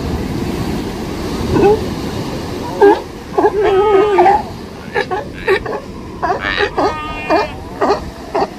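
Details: A mother sea lion on a California beach gives very loud, wavering, bleating barks over a steady wash of surf.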